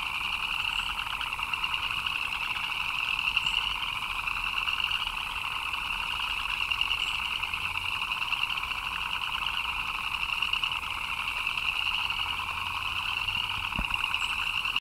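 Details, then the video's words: Frogs chirping during rain, many callers merging into a constant, buzzy trilling wall of sound in a mid and a high register, finely pulsed and unchanging throughout, with a faint low thump near the end. "Frogs chirping in the Rain"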